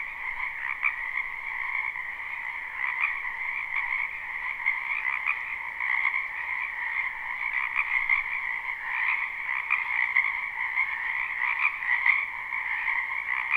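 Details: A loud chorus of frogs in a spring wetland behind a house, recorded live: overlapping rapid trills form a steady high drone, with individual croaks pulsing out every second or so above the mass.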